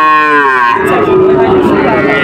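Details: Loud moo from a heifer calf at the Panchbibi cattle market in Bangladesh, recorded 23 June 2025: a rich, tonal opening that drops abruptly in pitch after a moment, then holds as a steadier, lower drawn-out note with faint background bustle.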